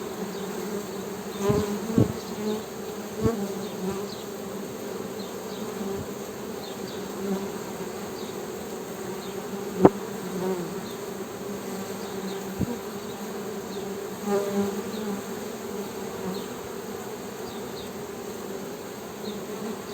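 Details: Western honey bee humming: a steady low buzz with bands near 200 and 400, broken by a few short clicks and knocks, and faint chirps from other birds or insects higher up.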